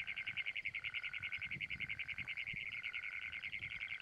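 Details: Great Plains toad (Anaxyrus cognatus), trill.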